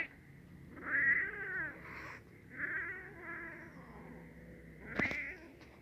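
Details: Indoor recording of a kitten and a black male cat getting familiar. Drawn-out, wavering yowls come in three long bursts with rich harmonics, and a sharp click or knock sounds near the end.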